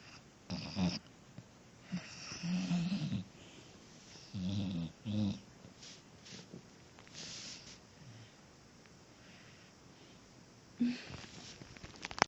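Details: Sleeping puppy snoring indoors: soft rasping breaths in uneven bursts, a few grouped close together, then quieter gaps and one last snort near the end.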